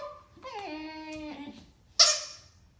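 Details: Enzo, a Siberian Husky puppy, throws a howling tantrum indoors because he would rather play with his new toy than go to the bathroom. One short howl drops in pitch, followed by a sharp noisy burst.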